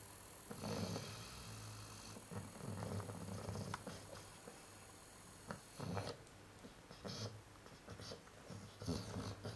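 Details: Sleeping Chow Chow dog snoring: soft, low, raspy breaths repeating roughly every one to two seconds, quiet against a hissy background.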